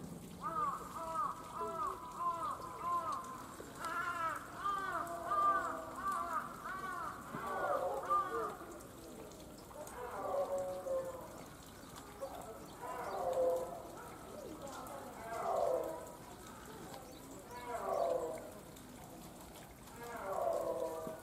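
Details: Captive snow leopard at Tama Zoological Park in Tokyo, Japan, giving a long series of harmonic, arching wails, each rising then falling, roughly every two to three seconds, with low steady background hiss throughout.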